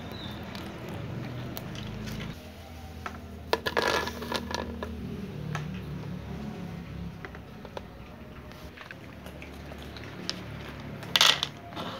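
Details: Indoor rustling, soft taps and a few sharp clicks, with no animal voice heard.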